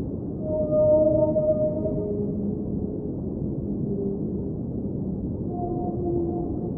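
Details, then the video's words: Whale singing underwater amid a steady low ocean rumble: long, smooth tonal moans with stacked overtones, a high held wail near the start, then lower drawn-out notes and a rising cry toward the end. "Underwater Whale Sounds - Ambient Soundscape | Whale Singing"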